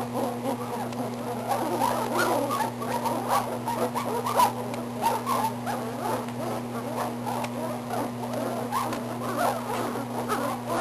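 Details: Belgian Malinois puppies at 18 days old, getting bigger and more active, make a steady stream of short overlapping squeaks and whimpers over a constant electrical hum.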